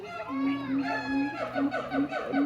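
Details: Captive gibbons at a zoo in March give a series of rising and falling whooping notes, with a steady hum beneath and people talking nearby.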